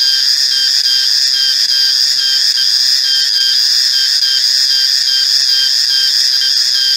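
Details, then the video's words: A male cicada's loud, steady, high-pitched electric drone that holds unbroken throughout. "Reriang Atau Riang-Riang Atau Cicada"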